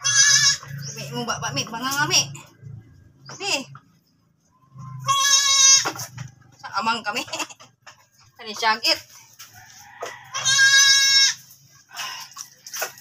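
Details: Goat after another birth, uttering wavering bleats, one early, one mid-way and one late, mixed with other rising, warbling calls and clucking-like sounds, quiet gaps between.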